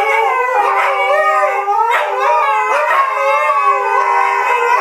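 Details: Three Siberian Huskies "sing" together in a sustained, warbling, yodel-like howl, sliding up and down in rich harmonic tones almost without pause.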